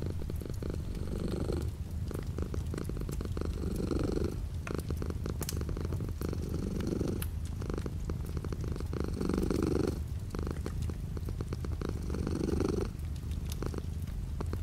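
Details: Light rain outside a window accompanies a cat's steady purr, a deep throbbing rumble that swells rhythmically about every two seconds across the recording, with frequent sharp patter of drops.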